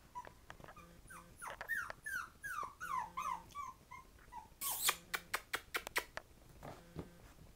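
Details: Five-week-old Havanese puppies indoors, playing around a potty area: a run of high, wavering whimpers and squeals with falling pitch, followed by sharp clicking taps and a few soft low grunts near the end.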